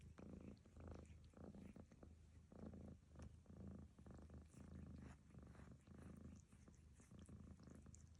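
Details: A cat named Lucy snores during grooming by fellow cat Barfi. Steady, low-pitched rasping breaths come in uneven bursts, punctuated by light licking clicks.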